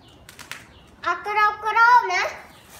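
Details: Pet cat, described as poor and pitiful, giving one drawn-out meow of about a second that rises and then falls, with harmonics, after faint brief sounds.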